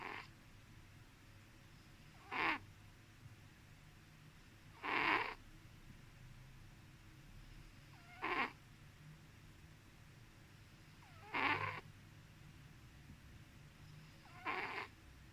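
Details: A domestic cat sleeping and snoring, six brief raspy breath sounds repeated roughly every three seconds, steady and soft, against a quiet indoor hush.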